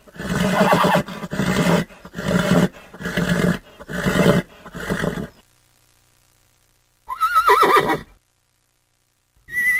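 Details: Horse giving a run of six rough, pulsed neighs about one second apart, then after a pause a high, clear whinny that quavers and falls in pitch, followed by the start of another call.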